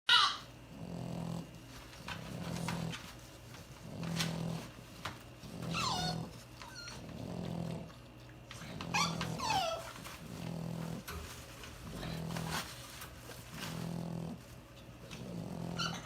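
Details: A female lilac tri-color merle French Bulldog snoring: low, rumbling snores repeat about every one and a half seconds, some breaths ending in brief higher wheezy whistles.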